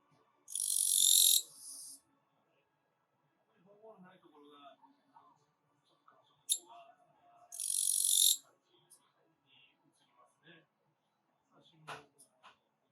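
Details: Katydid (kirigirisu), an autumn insect, gives two loud, harsh buzzing bursts, each lasting about a second, several seconds apart.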